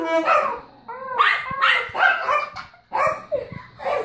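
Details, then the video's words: Rocco, a Yorkie singing along with a child's saxophone, gives a run of short, arching, yelping howls that rise and fall in quick succession, each cut off abruptly, with brief gaps and no instrument in between. "Rocco, our 'singing' Yorkie"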